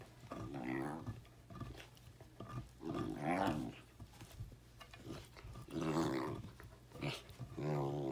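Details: Basset Hound named Bruno growling as he chews a seasoned birch beaver stick in the living room; repeated throaty, harmonic growls rising and falling in bursts roughly every second or two, with faint chewing noises between.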